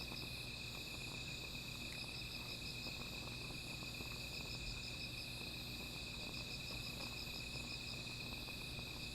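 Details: Insects calling at night beside a small fire: a steady, unbroken high trill runs throughout, with a sharper pulsed trill above it in bursts of rapid beats separated by short pauses, over soft crackling from the fire.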